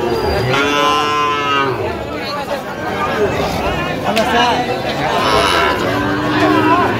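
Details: Sahiwal cattle, bull calves at a cattle market in Khulna, Bangladesh, lowing loudly with long, harmonic-rich moos that rise and fall, several overlapping animals, with crowd chatter around.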